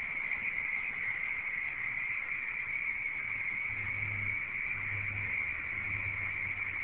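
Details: Early February 2011 in a swamp by the Redwood City Airport in California, a mobile phone catches a crowd of frogs in a constant high-pitched trilling chorus, with a low engine-like hum rising underneath midway.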